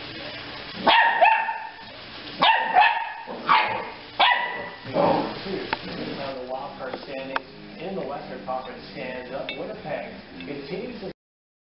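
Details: A pup in an animal relief group's care gives four strong barks in the first five seconds, then quieter yips and whines trail off over a steady background murmur.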